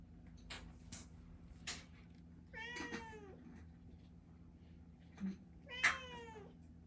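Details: Indoor pet cat trained to 'sing' for its owners, giving two long wavering meows a few seconds apart, plus light tapping and household knocks in a quiet room.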